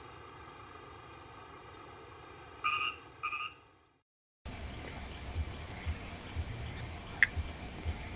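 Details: In Brazil's northeastern sertão at the arrival of winter, a male monkey tree frog calls with brief, sharp, loud clicks that blend into a steady, high-pitched chorus of other amphibians and insects.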